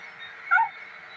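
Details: Pet cat named Beemo giving one brief, sharp mew lasting under a fifth of a second, a clear tone with a lower second band, set against a steady low household hum, with Tamil speech addressing the cat before and after.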